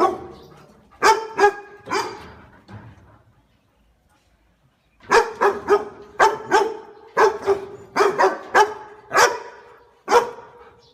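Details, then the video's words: Pet dog barking in sharp, loud bursts, a few single barks, a pause of about two seconds, then a rapid series of about a dozen barks. "funny pet dog and dog barking sounds"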